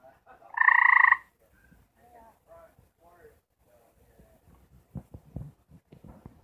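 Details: Mating call of a gray treefrog among four kept together and attempting to mate: a single rough, rapidly pulsed trill near the start, followed by faint murmuring sounds and scattered knocks.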